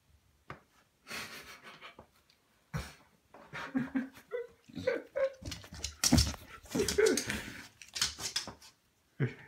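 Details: A pet Beagle dreaming while asleep indoors, giving soft muffled barks, whimpers and huffs in irregular bursts, with a woman speaking Spanish in a small room.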